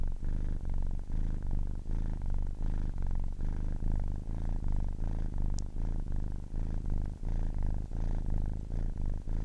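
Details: A 10-week-old kitten purring steadily: a deep, rumbling low drone broken into regular inhale and exhale cycles roughly every 0.6 seconds, with a single faint high click midway and no other sounds.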